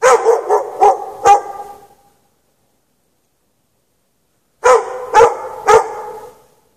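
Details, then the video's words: Night recording of a dog chained in the snow for several hours; two groups of three to four sharp, reverberant barks separated by a long quiet pause. "Dog barking chained out in the snow"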